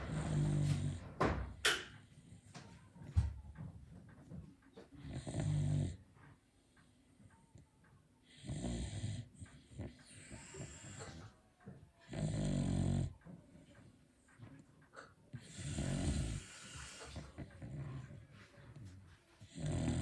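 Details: A Beagle sound asleep, snoring loudly: deep, rough, low rumbling breaths, each about a second long, repeated roughly every three to four seconds in a steady rhythm indoors, with quiet gaps and faint small noises between.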